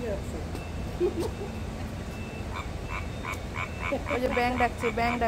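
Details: Frogs at night by a lit canal near Bitan Suspension Bridge, Taiwan, giving short, bright chirping notes repeated roughly three times a second over low background hum, with a voice speaking Bengali.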